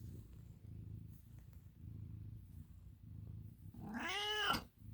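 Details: Milo, an American Ringtail cat, purrs in low, steady rumbling pulses, then breaks into a single loud, drawn-out meow that rises and falls near the end.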